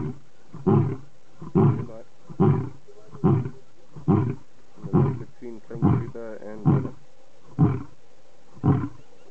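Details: Series of short deep grunts from a lion, the closing part of a roaring bout, repeated roughly every second, with a faint voice briefly in the background.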